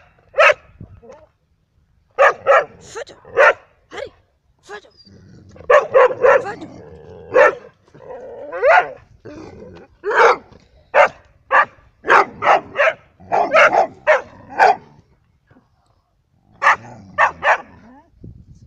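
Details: Labradors and a hunting dog in Cyprus, barking in sharp, short bursts, singly and in quick runs of three or four, with a man's voice calling out between the barks.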